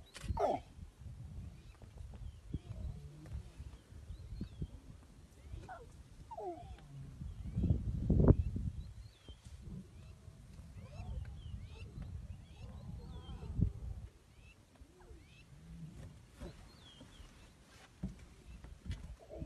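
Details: African lion giving low, rumbling grunts and roars, strongest in a loud surge near the middle, then easing into softer grunts; faint bird chirps sound in the background.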